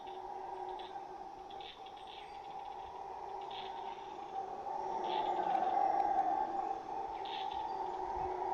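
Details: Howler monkeys in the jungle of Belize, not very big but making an enormous, hellish noise: a distant, sustained droning roar that swells slightly midway, heard during a trek through swampy, grassy ground.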